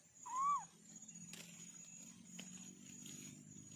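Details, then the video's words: One of four orange kittens lets out a single loud, brief meow that bends up then down, followed by quiet background with a constant thin high whine and faint low hum. "Kitten sound test"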